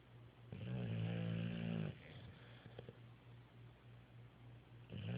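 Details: Three dogs asleep indoors, one giving a long, low, droning snore of about a second and a half, then soft breathing before another snore begins at the end.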